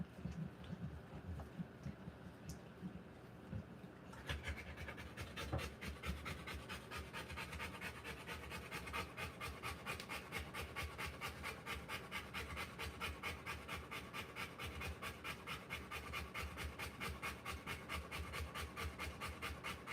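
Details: Rottweiler giving birth to puppies, heard after a quieter opening few seconds in fast, steady, breathy panting, short rasping huffs repeated more than twice a second without pause for the rest of the stretch.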